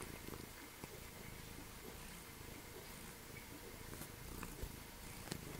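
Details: Meshia, a three-legged Snowshoe cat at Calico Junction Sanctuary, purrs steadily indoors, a low, rapidly pulsing rumble that runs unbroken through the whole stretch, with faint soft handling noises in a quiet room.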